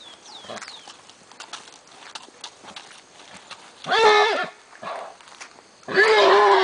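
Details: Lusitano stallion being teased by a girl in front of mares at a stud farm. Two loud, harsh, wavering squeals rise out of a quieter background of shuffling and faint voices, one near the middle and one at the end.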